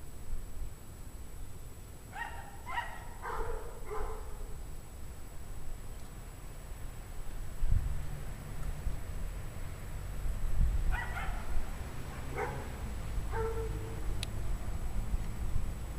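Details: Distant pack of dogs, recorded January 9, 2009 at 5 PM in 17-degree Fahrenheit cold, giving a quick run of four barks, a silence, then a few more scattered barks, with heavy low-frequency rumble throughout.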